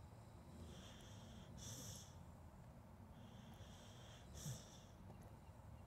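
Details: A sleeping dog snores softly, recorded on a Zoom H2N: two wheezy, snorting breaths with a hissy upper edge about three seconds apart over a steady low rumble of breathing.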